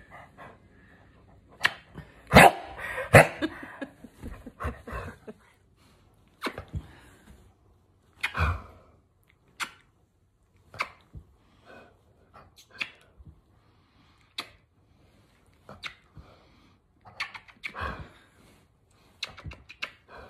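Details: Senior male dog, 17 years old, indoors, protesting being kissed: short sharp barks and gruff grumbles come in scattered bursts, the loudest near the start, with sniffs, a sneeze-like snort and quiet room noise between.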